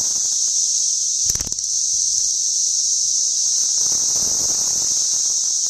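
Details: Cicadas in suburban St. Louis on June 5, 2011, measured with a sound level meter: a loud, unbroken high-pitched hissing drone holding steady throughout, with a brief low thump early on.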